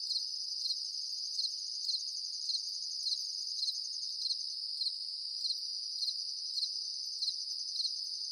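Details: Night chorus of crickets, an unbroken shrill high trill with rhythmic louder pulses recurring roughly twice per second, plus a faint upper tone layered on top, nothing else audible.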